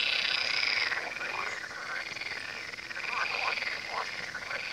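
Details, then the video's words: Frogs calling by the Tywa river: a dense chorus of short, rapid croaks overlapping around four per second, with thin whistled notes running above. "Odgłosy żab nad Tywą"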